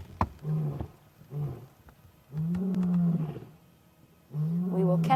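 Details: A male lion moving quickly on a sunset drive in Sabi Sands gives deep, moaning roar grunts, four low bursts roughly every second or two, the longer ones swelling and fading; impala alarm-call afterwards.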